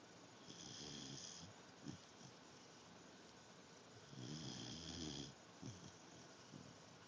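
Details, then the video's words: Pet dog named Zoey asleep and snoring indoors: two long, rasping snore breaths with low rumbling and a hissy upper edge, separated by quieter breathing and small snuffles. "Zoey Snoring"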